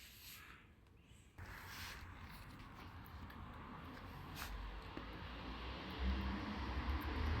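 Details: Outdoors at night, a low vehicle rumble grows steadily louder after a sudden jump in level, over soft hiss and faint high ticks, without any clear animal voice.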